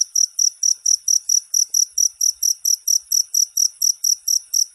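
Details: Cricket chirping, recorded as a training model for songbirds to learn from: clean, evenly spaced shrill pulses, about four per second, each with a bright tone and a higher buzzy overtone, on a silent background.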